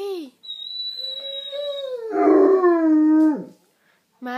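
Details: Great Dane bitch left behind as her owner goes out, giving a sustained howl that holds steady, then swells louder and bends downward before cutting off; a high thin whine runs above the first part and a calming French voice follows.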